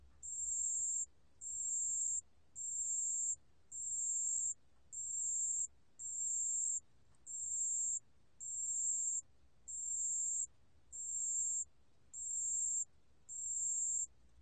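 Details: High, bell-like trilling of a pale bell cricket, recorded in 2020 by the National Institute of Biological Resources; a dozen short, even bursts repeat at a steady pace of nearly one per second.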